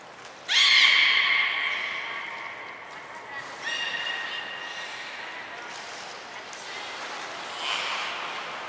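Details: Hodoi, Taanya and Mirai, captive belugas at Port of Nagoya Public Aquarium, recorded during pool transfer and training on 23 February 2021; a sudden loud, high squeal with rich overtones, then softer repeated harmonic calls and a late burst.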